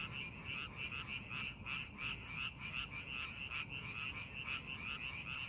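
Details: Frogs in paddy fields readied for farming, calling in a continuous chorus of grating, pulsed croaks roughly three per second, somewhat irregular as callers overlap, above a low steady hum.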